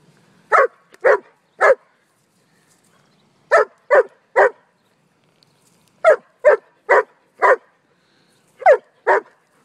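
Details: Sheba, a four-year-old German Shepherd, barks at play over a ball on a porch: sharp barks in quick groups of two to four, about thirteen in all, while a person tells her to drop it.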